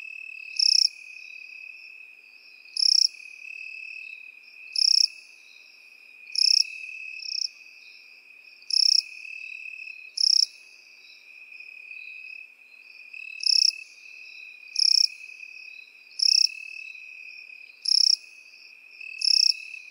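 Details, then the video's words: Field-grass insects, crickets and grasshoppers: a constant shrill trill with about thirteen sharp buzzy chirps at a steady beat, pausing briefly near the middle before the pulses resume. "Сверчки и кузнечики в полевой траве"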